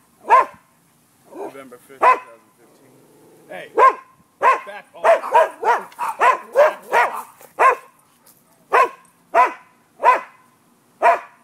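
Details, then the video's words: Dogs barking at midday, 5 November 2015, in a neighbour nuisance dispute: loud, punchy barks, spaced at first, then a fast volley of about ten in quick succession before they slow to steady single barks; a faint voice is heard early on. "Barking dogs"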